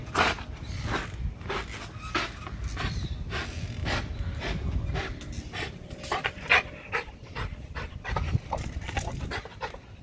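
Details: Hard, rapid panting from an XL American Bully hanging on a spring pole during an extreme workout: dense breathy bursts, uneven in spacing, with a faint whimper-like tone mixed in and low rumbling underneath.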